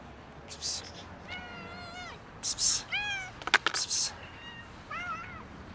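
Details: Domestic cat meowing while a huge white cat raids it; several drawn-out, tonal meows, some arching and falling at the end, come in a loose series, broken by short bursts of harsh, noisy scuffling or hiss-like sound.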